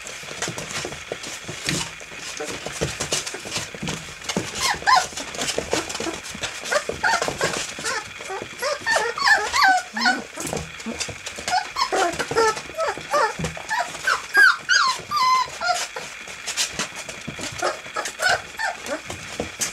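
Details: A litter of eight 25-day-old field-type English Springer Spaniel puppies playing in a whelping box; many overlapping high squeaky whimpers and yelps, busier and louder in the second half, with faint shuffling.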